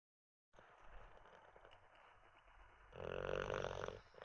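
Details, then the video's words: Teddy, an olde English bulldog, dozing after treats and a wee: a quiet stretch of soft breathing, then one loud, rough snore rumbling for about a second near the end. "Six minutes of a snoring olde English bulldog"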